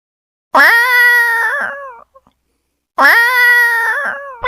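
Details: Cat giving two long, steady meows about two seconds apart, each held for over a second with a rich harmonic tone that bends slightly at the end; quiet between calls.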